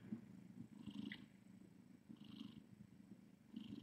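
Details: Nursing mother cat with her kittens in a rescue room at night: a gentle low purr in uneven surges, with faint high squeaks from kittens and soft rustling.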